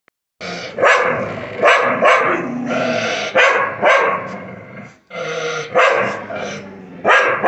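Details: Two neighbourhood dogs barking at each other over a shared compound wall, hostile towards one another; loud, harsh, rapid barks in repeated bursts, some overlapping with rough growl-like tones, brief pause near five seconds.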